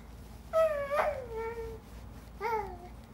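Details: Male fox crawling around and making weird sounds for his own amusement, recorded 31 July 2017: two drawn-out whiny, harmonic wails, the first falling and sagging, the second shorter and dropping in pitch, over faint low background hum.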